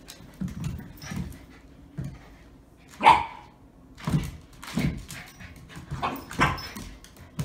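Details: Shiba Inu playing indoors with another dog on a first play date in New Jersey; short broadband barks and grunts come in irregular bursts, one sharper yelp near the middle, with soft thumps of movement between them.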